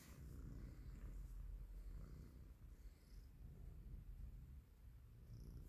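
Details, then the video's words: A colorful stray cat living on the street purrs while it wants to be petted: a steady, deep rumbling purr with soft rhythmic pulses running through the whole stretch, nothing else clearly heard. "A cute colorful cat wants to be petted"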